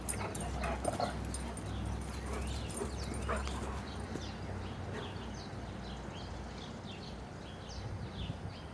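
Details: Red Doberman searching excitedly for a squirrel after being asked where the squeaker is; short high whimpers and whines come in uneven bursts, loudest early on, with a man's voice talking to the dog and steady low background hum.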